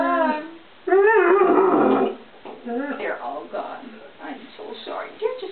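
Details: Ozzy, a one-year-old English Setter puppy, calls out in a home kitchen for stored treats: a long wavering whine-howl near the middle, with shorter yips and a woman talking to him around it.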